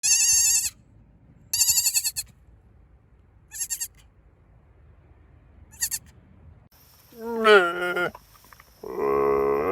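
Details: Goats bleating in a series of short, harmonic-rich, wavering calls separated by silences, then a longer quavering bleat and a lower drawn-out bleat near the end, with a faint steady high hiss in the background.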